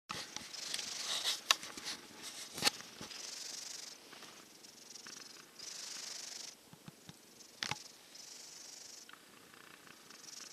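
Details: Sleeping silver tabby cat, listless after a cold and kept isolated, snoring while tucked into a hot dog bed; soft hissing breaths repeat roughly every one to two seconds, with a few sharp clicks and rustles early on.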